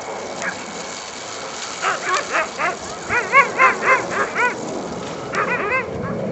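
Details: Dogs at racing training on the Służewiec track on 28 February 2010 give a rapid run of excited, ringing yips, about four per second, pausing and then resuming, over steady outdoor wind and background noise.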